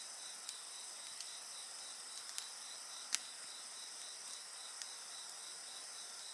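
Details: Insects sing beside a crackling bonfire: a steady, high, shimmering chorus of several overlapping trills, one pulsing rapidly, broken by sharp pops and snaps from the burning wood.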